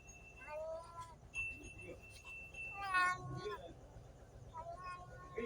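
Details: Cats and kittens giving brief, high meows, three separate calls with one louder wavering cry in the middle, mixed with soft background voices and a thin steady tone.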